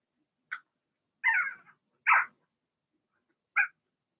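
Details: Indoor pen of six Blenheim Cavalier King Charles Spaniel puppies, two girls and four boys born in March to Remy: a brief high yip, then two longer, loud strained whines and one final short yelp, separated by quiet pauses.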